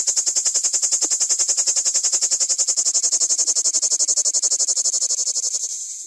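A common cicada sings a loud, shrill buzz pulsing rapidly, roughly ten throbs each second.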